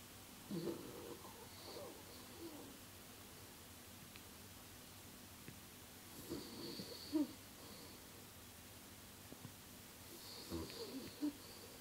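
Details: Thirteen-year-old small dog named Mr. Chips snoring while having a bad dream: soft, breathy snorts and murmurs in three clusters, the strongest with brief squeaky whimper-like peaks, over a steady low background hum.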